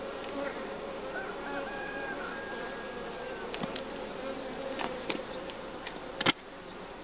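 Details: Honey bees buzzing at a spring hive during colony development and brood-nest breaking; a thick, steady hum with faint wavering tones, scattered clicks, and a sharp knock near the end.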